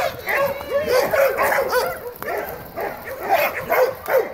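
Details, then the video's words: Domestic dogs at play during a greeting. Quick, arching yips and whiny barks come in bursts of about two or three a second, with a short pause midway and faint human voices. "Great Dog Greeting"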